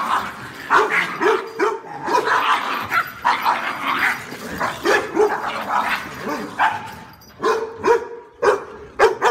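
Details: Dog barking in soft, pleasant-sounding barks, repeated in irregular bursts, with several bark-like calls over about nine seconds; background is busy with broadband noise throughout.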